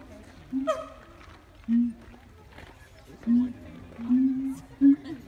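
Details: Siamangs at Taronga Western Plains Zoo sing and put on a show with short, loud hooting notes, some held level and one leaping higher.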